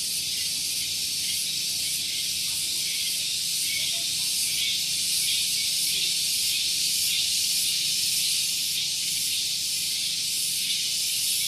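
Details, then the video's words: Cicada at Gunung Geulis, Bogor, West Java, singing in the morning near a parking area; a very loud, sustained high sizzle with soft rhythmic pulsing, constant in volume throughout, over a weak low-pitched hum. "Suara Tonggeret"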